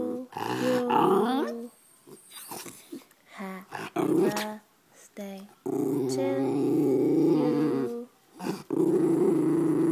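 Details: White pet schnauzer 'singing' along to a happy birthday song: drawn-out, growly, moaning vocal notes in several bursts, some held for about two seconds, broken by short pauses, with a person's voice nearby.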